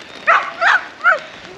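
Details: Daycare dogs on a rainy day bark with excitement because they can hear preparations to hide treats for them. Three sharp, mid-pitched barks come in quick succession within about a second and a half.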